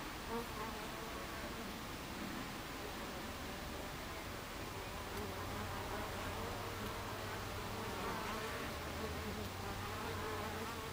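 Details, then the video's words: Honey bees at a beehive entrance on 26 July 2013 at 14:30, a dense continuous buzzing hum of many insects with a low droning undertone, steady throughout. "Beehive Entrance Bees"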